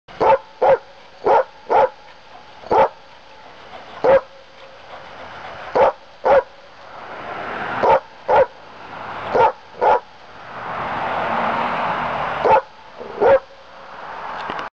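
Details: Pet dog barking in short, sharp, evenly spaced bursts, about a dozen barks over fifteen seconds with brief pauses between them, and a rushing background noise swelling in the middle.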